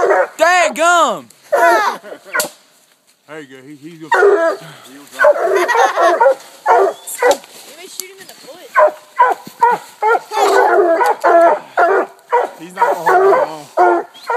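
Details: A pack of four coonhounds, two Walkers, a Black and Tan and a Bluetick, tree a raccoon at a new hunting spot. Long, wavering howls open, then dense choppy barking from several hounds with short pauses and one quiet gap.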